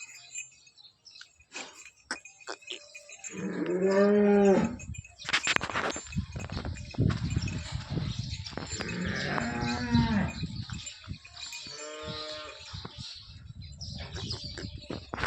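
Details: Holstein Friesian cow, a gentle milking cow nine months pregnant, Somthane village near Sinnar, Nashik: three drawn-out, rising-then-falling moos spaced several seconds apart, with clanking and rustling noise throughout between calls.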